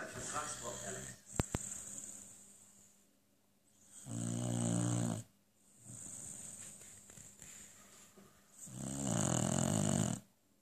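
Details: Beagle Lucy snoring while asleep as the TV plays: two loud, rasping, low snores around the fourth and ninth seconds, each about a second long, with German TV dialogue and quieter breathing in between.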